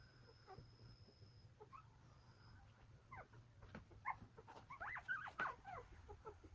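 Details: One-day-old Golden Retriever puppies from a litter of nine in Naju, South Korea; after quiet rustling, short high squeals and whines build up, becoming denser and louder toward the end.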